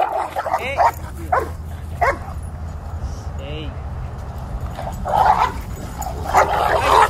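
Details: At a park, eleven-month-old Dogo Argentino brothers bark in short bursts near the end, after a stretch where a person talks over low background hum.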